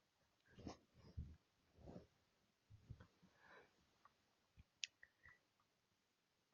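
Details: A sleeping dog snores quietly indoors, soft low rumbling breaths coming in uneven bursts about every half second to a second, then tapering into faint scattered clicks and small noises in a quiet room.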